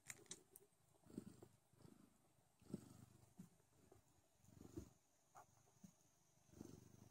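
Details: Don Sphynx kittens suckle from their mother, giving deep, coarse purring in uneven swells about every second, with soft sucking ticks between them in a quiet room.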